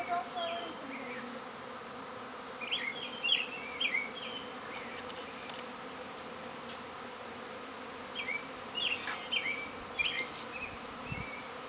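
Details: Spring swarm of pet honey bees in a backyard, half the colony and a new queen leaving an overcrowded hive; a continuous low drone of wings beneath bursts of quick, high, twittering bird notes.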